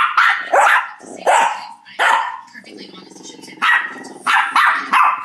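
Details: Shih Tzu acting bossy toward its two housemate dogs in 2011, barking persistently: harsh barks in quick pairs, a sustained low rumbling growl in the middle, then more barks.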